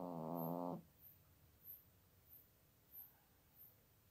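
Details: Elderly female pet cat nearing her 17th birthday, asleep indoors in Toowoomba, Queensland, Australia, recorded without amplification or editing: one rasping, buzzy snore lasting under a second, followed by quiet, faint breaths.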